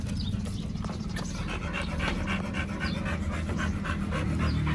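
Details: Two Pit Bulls at a dog hotel picnic on Chinese New Year 2021, eating raw meat. Breathy panting bursts come about four times a second, fairly steady, over a low humming background.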